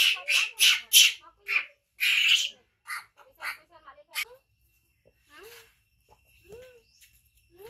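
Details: Baby male hybrid monkey, found in mountain jungle and kept by a villager, cries after his brother bites him: loud raspy screams at first, then fading into sparse thin squeaky upslurred whimpers separated by silences.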